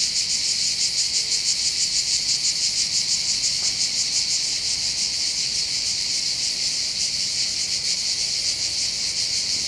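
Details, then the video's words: High-pitched rasping cicada chorus heard from the heights of Bandol in the Var, southern France, during summer holidays by the sea: a constant throbbing buzz with slightly uneven pulsing and a quiet, still background. "accompagné par le champ des cigales"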